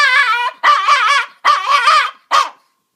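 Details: A pet dog screams while begging for popcorn. Three long, wavering, high-pitched harmonic cries of about half a second each come in quick succession, then a shorter fourth cry before silence.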